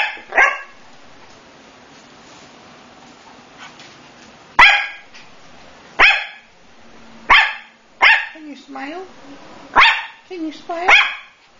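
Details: Male Coton de Tulear puppy barking repeatedly, a short yappy bark about every second or two in the second half, while a person talks to the puppy between barks.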